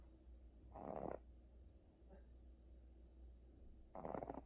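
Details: Pet cat Gucci snoring while asleep, worn out after a trip to the animal hospital; two breathy, rasping snores about three seconds apart, with a steady low hum underneath.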